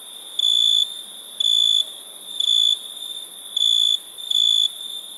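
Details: Nighttime crickets give five clear, shrill tonal bursts in quick succession, each lasting under half a second and spaced about a second apart, with a faint steady hiss between them.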